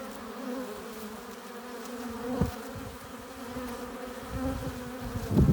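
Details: Honey bees at a hive entrance, arriving with pollen and nectar: a steady low hum with stacked tonal bands, broken by short louder buzzes as individual bees fly close past.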